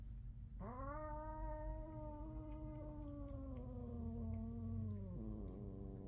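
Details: Domestic cat in a home with five cats, yowling loudly during a fight: one long drawn-out harmonic wail held for about four and a half seconds, slowly falling in pitch, ending in a lower dip.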